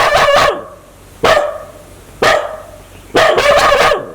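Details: Aggressive dog wanting to bite people, giving loud, sharp barks in four separate bursts about one second apart, the last burst a quick double bark, with quiet pauses between.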